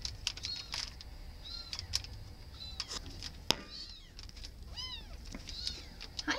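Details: Two shelter cats meowing: a few short arched meows, the clearest near the middle and another at the end, amid tapping and clicking noises and faint Spanish speech.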